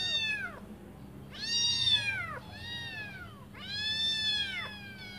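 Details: Hungry kitten meows from a litter of five awaiting their mother's return to feed them; three clear, drawn-out arching cries, each about a second long, with pauses between, over faint low hum.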